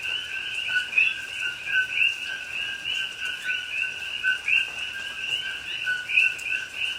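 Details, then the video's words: Coqui frogs in a Hawaiian rainforest at Pahoa at night in rain, October 2021: a dense overlapping chorus of two-note calls, a low steady note followed by a rising upper chirp, repeated constantly by many frogs. "Hawaii Rainforest Rain and Coqui Frogs Sounds"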